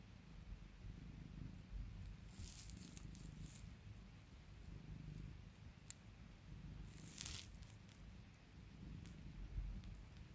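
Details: Pet cat being soothed and pampered by its owner, purring in a continuous low rumble that rises and falls in slow breathing cycles, interrupted by short rustling and handling noises and a few sharp clicks.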